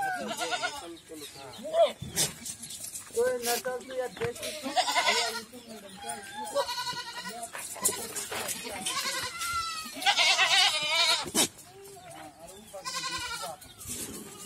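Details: Several goats on a goat farm in Rajasthan bleat in wavering, nasal cries that overlap one another, with human voices in between.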